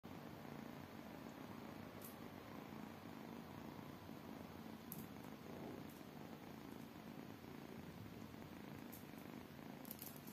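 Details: Tiny kittens purring indoors: a steady, low rumbling purr that continues without a break, with a few faint clicks.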